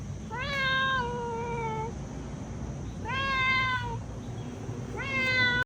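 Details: A domestic cat meows three times at intervals of about two seconds, each call a long, harmonically rich, gently falling wail, with a constant low hum underneath.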